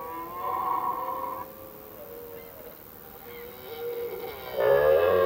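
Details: A red deer stag during the autumn rut, which starts in mid-September, gives drawn-out, harmonic bellows, one early and a louder one at the end. These calls echo through forests in the evening, attracting females and warning other males off territory.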